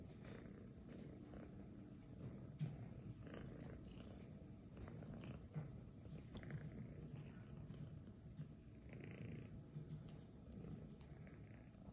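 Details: Domestic cat wearing a lion head mask, purring: a steady, low, soft rumble that continues without pause through the whole stretch, with faint rustling and light clicks on top.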